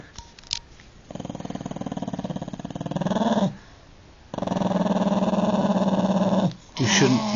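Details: Old, deaf Jack Russell Terrier, unhappy at being found on furniture, growling indoors in two long, low, rumbling stretches separated by a pause, while a man scolds him.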